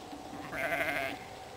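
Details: Short, quivering, nasal bleat of a spring lamb lasting about half a second, recorded at White Clover Sheep Farm in Rushville, upstate New York, over a steady background hum.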